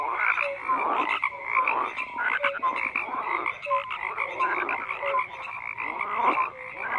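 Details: A chorus of croaking frogs: rough pulsed calls in regular bursts roughly every second, with brief clear notes between them and a continuous hum of other callers.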